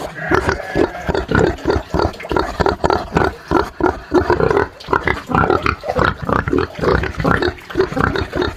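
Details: Pig on a farm grunting steadily, short nasal grunts repeated about twice a second, rough and throaty, with no other sounds standing out.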